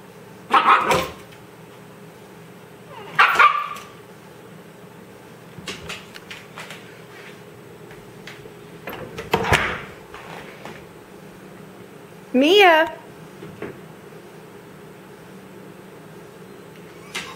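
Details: Puppy guarding a closet where the dog food is kept in a green bucket, indoors; four sharp barks spaced a few seconds apart, the last a rising then falling yelp with clear harmonics, quiet room between calls.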